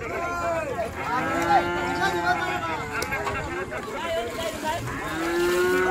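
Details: Cattle being unloaded from the river side at a busy village cattle market in Bangladesh; several overlapping drawn-out moos with harmonic, arching tones, some people's voices and crowd noise beneath.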